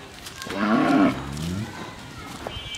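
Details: Pregnant Friesian cow, nine months into her second pregnancy, kept on a dairy farm in Bhangura, Pabna, Bangladesh; one loud, harmonic moo lasting about a second, rising then falling slightly, over faint background noise.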